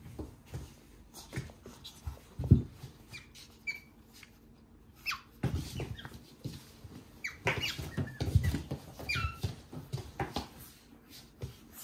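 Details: Pet otters Ui and Aty at home; Aty is a young male who arrived at nine months old. Ui pushes Aty down, mounts him and presses him for a kiss. Short high squeaky chirps come in scattered bursts over rustling and soft thumps.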